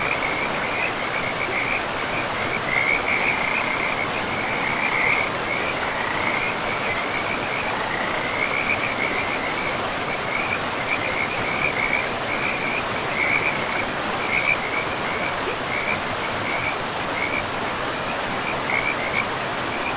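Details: Chorus of frogs beside a forest river, a fast pulsing trill held at one high pitch and repeated in short bursts throughout, backed by steady broadband river noise.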